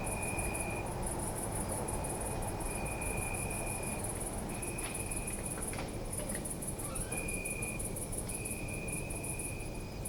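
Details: Crickets chirping at night in a city park: continuous fast high pulsing with short gaps, separate drawn-out trills, a few sharp clicks midway, and constant low urban rumble.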